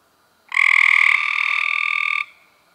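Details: A single long, rasping buzz-trill from Cope's gray treefrog recorded in May 2016, lasting nearly two seconds, strongest at onset then holding steady before stopping abruptly, quiet background.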